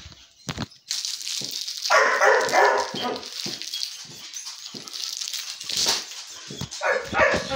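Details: Bear, a pet dog, during play indoors: harsh broadband barks in a burst near the middle and again toward the end, with short sharp sounds between and background noise throughout.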